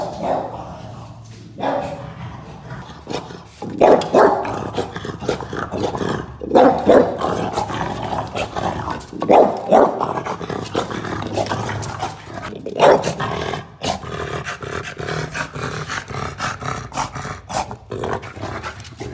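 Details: A French Bulldog, reacting on seeing a cow, gives a run of gruff, irregular barks and throaty grumbles.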